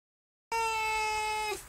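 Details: Recently adopted barn cat named Honey Delite, once unsocial and now letting herself be petted, gives one steady, drawn-out meow of about a second, level in pitch and rich in overtones, in a quiet setting.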